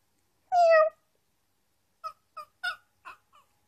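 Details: A female dog, provoked as if being meowed at, gives a drawn-out, cat-like meow followed by a quick run of short, yelping notes.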